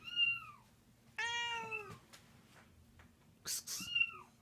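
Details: Domestic cat Cleo, aged 13, angered by cats meowing nearby: a brief arched meow, then a harsher, richer, longer yowl, a noisy burst, and another short arched meow.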